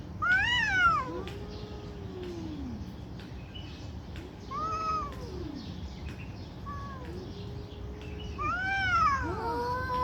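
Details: Cats in an angry fight trade loud wavering yowls; high arching wails alternate with lower, slower moaning arcs, separated by short pauses.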